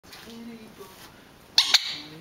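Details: Rat Terrier dog indoors, unsettled by a squeaker toy being squeezed during play, gives two quick sharp barks close together after a stretch of quiet room tone and soft speech.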